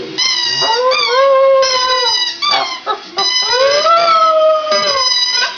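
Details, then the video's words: Two-year-old Border Terrier dog that has just learned to howl: long tonal wails rising and sliding in pitch, with short breaks and yelping dips between drawn-out notes. "max howling"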